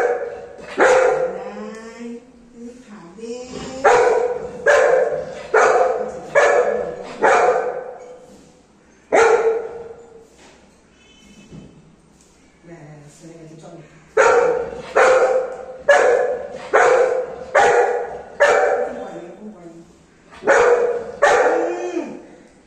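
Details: Golden retriever, a pet, annoyed and scolding at home while waiting for hot rice to cool: repeated sharp, loud barks and yips in quick irregular series with short pauses and a few whiny grumbles between them.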